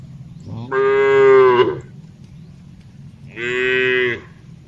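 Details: Cattle herd grazing on open green pasture, calling back and forth; two drawn-out, deep moos, the first about a second long, the second shorter, with low rumbling background between them.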